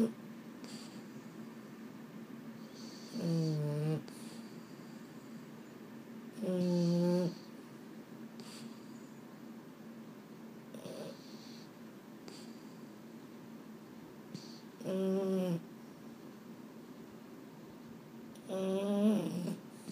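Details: Male Boston Terrier snoring at bedtime in a quiet room: four deep, grating, buzzy snores, each under a second, repeating roughly every three to four seconds. Softer breaths and small rustles come between them.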